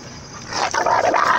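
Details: Dogs fighting, a Rottweiler and a German Shepherd, over a female puppy of the shepherd's pack: the Rottweiler attacks and the shepherd defends the puppy. Harsh, snarling barks with wavering tones build after a quiet start.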